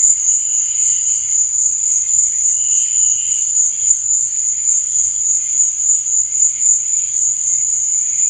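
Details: Crickets chirping after dark: an even, piercing high trill holds steady from start to finish while quieter, lower buzzy pulses drift in and out behind it.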